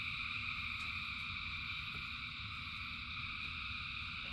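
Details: Rain falls while thousands of frogs sing together, their calls merging into a constant shimmering trill in stacked high bands, with low rumbling and occasional light taps underneath.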